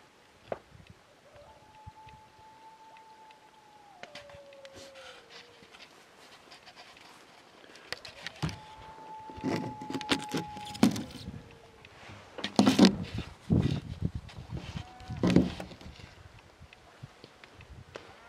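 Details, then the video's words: Distant wild dog on a ridge near camp, 2am, -3 degrees in July: two drawn-out steady howls that drop in pitch at the end, followed by louder nearby rustling, bumps and handling noise. "Trying to howl in a wild dog at camp"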